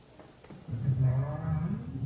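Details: A North Atlantic right whale gives a low, moaning contact call, a "what's up" given on entering an area, swelling and lifting slightly toward its end; such calls occur across the western North Atlantic.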